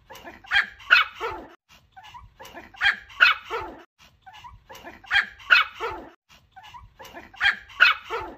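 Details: Dog barking in a steady loop: two loud, bright, high barks, then a few soft yips and a pause. The pattern returns about every two and a half seconds.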